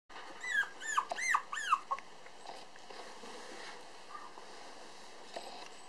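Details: Black male Toy Poodle puppy weighing 431 g, newly walking upright, at a breeder in Ōtsu, Japan: four high arched whimpering squeals in quick succession, then quiet room noise with faint rustling.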